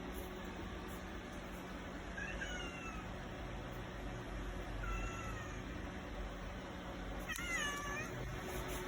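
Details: Domestic cat crying after the father and older brother as they leave, staying put in the vehicle; three separate high, bending meows a couple of seconds apart over steady low engine hum.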